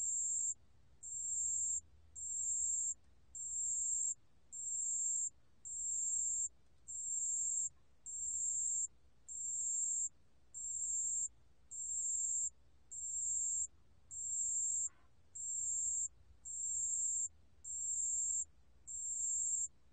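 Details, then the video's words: Pale bell cricket from the National Institute of Biological Resources, 2020: high, narrow-band ringing bursts near 8k, each about 0.8 s, repeated steadily about fifty times a minute with short silent gaps, over a faint low hum. "담색방울벌레, 여러번 듣기, 곤충소리"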